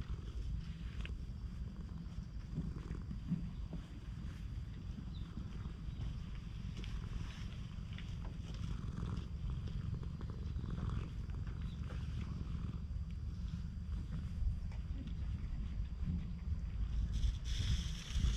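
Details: Stray cat on a Japanese cat island, acting affectionate toward people, filmed with a GoPro HERO8; steady low rumbling purr runs throughout with faint rustling and handling noise over it.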